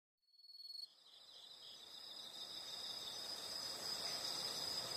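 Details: Insects in a natural setting: after a short brighter burst near the start, a steady high, shimmering trill builds slowly and grows louder toward the end, with a faint rustling background.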